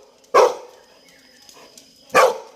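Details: Toby the Labrador Retriever lets out two single, abrupt barks almost two seconds apart. Each rises suddenly and tails off, with near silence between them.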